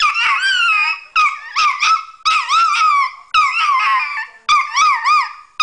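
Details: Female pet dog 'singing' or yelling at her owner: a run of drawn-out, wavering howls with rising and falling pitch, about one-second phrases separated by short breaks, some yodel-like wobbles.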